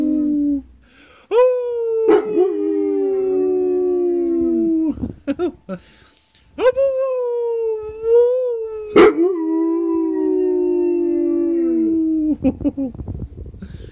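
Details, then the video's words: An Alaskan Malamute gives long, wavering howls that slide slowly downward, broken by brief yips, in a howling conversation. "Alaskan Malamute howling conversation"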